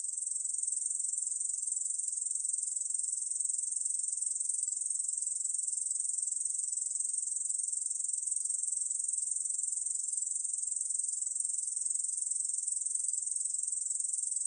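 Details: Korean bush cricket keeping up a steady, shrill, finely pulsed hiss at even volume from start to finish, with no other animals or noises heard.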